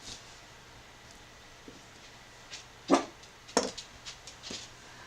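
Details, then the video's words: A corgi in a quiet indoor room gives a couple of sharp, loud barks, first soft and then loud, apparently wanting to be let out. "The corgi is barking softly. Now he's barking loudly."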